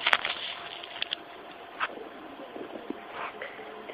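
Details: Indoor shuffling, scraping and crackling with faint voices and a vehicle-like hum, plus a few sharp clicks, and no clear bark or other animal call.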